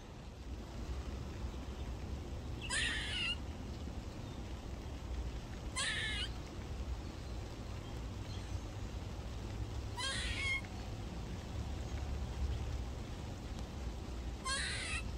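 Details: A squirrel at a garden gives harsh, raspy barks, one every three to four seconds, over steady rain on a rainy morning.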